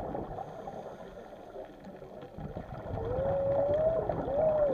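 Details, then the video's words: Whales recorded undersea: after several seconds of low rumbling water and engine-like noise, a clear tonal moan rises and holds. A shorter rising call follows at the end. "WHALES SOUNDS"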